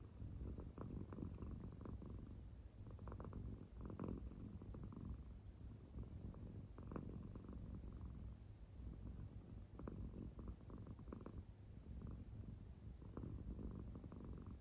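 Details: Deeply asleep and showing no sign of waking, the American Shorthair cat Claire gives a quiet purring snore. Low, steady rumbling pulses rise with each breath about every three seconds across the stretch, with nothing else heard.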